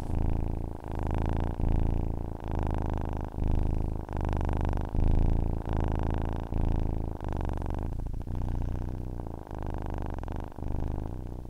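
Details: A domestic cat purrs to help listeners fall asleep, a deep throbbing rumble pulsing in bursts of roughly a second, evenly paced, with short breaks between each and nothing else audible.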